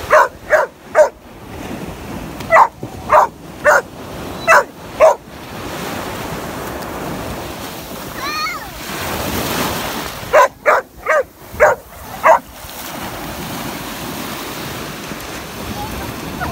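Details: Protective Labrador Retriever puppy barks at the sea for its small owner, firing quick runs of sharp barks in three clusters separated by quieter stretches of crashing waves; a short rising voice-like sound rises midway.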